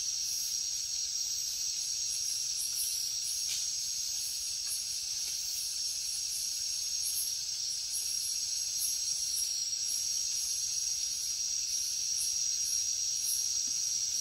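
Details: Night jungle insects, crickets, keep up a continuous thin high trill, with softer irregular chirps flickering above and a few faint clicks underneath.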